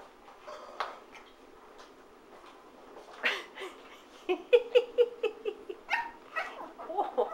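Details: Teddy, an 11-week-old Shih Tzu puppy, gets cross with his igloo indoors: a run of short, high yips and squeaky barks repeated about twice a second, with faint rustling between them.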